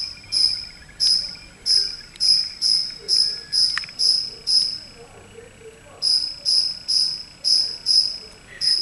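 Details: Cricket chirping inside a house after wandering in, unseen. Bright high-pitched pulses come in a rapid run, falter with a brief click midway, then resume as an even series of ringing chirps after a short silence.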